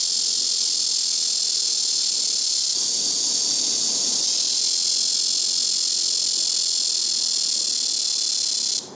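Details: Loud, continuous shrill buzzing of a blackish cicada in trees beside a house rooftop, several cicadas taking turns from tree to tree; the drone thickens slightly after about three seconds and cuts off abruptly at the very end.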